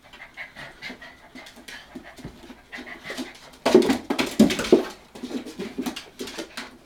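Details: Hokkaido dog puppies, 65 days old, the litter of a dog named Hana, recorded 18 February 2011; quick breathy pants in uneven bursts, louder and denser past the midpoint, with faint rustling between.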